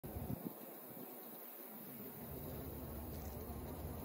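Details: Honey bees at a hive where the queen bee is among them, giving a dense, steady low hum of many wings with a brief faint rumble near the start.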